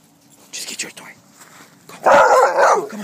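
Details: Dog at Prairie Wolf Dog Park being told to get its toy; a woman's soft voice first, then a loud, sustained, wavering bark-yowl of almost a second.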